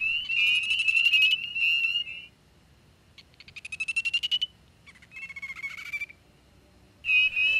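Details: A male spring peeper (Pseudacris crucifer) gives its alternate call, a high, fluttering trill in bursts of one to two seconds, at night at a Connecticut vernal pool in spring 2009, competing with another male for a mate-attracting spot on a log.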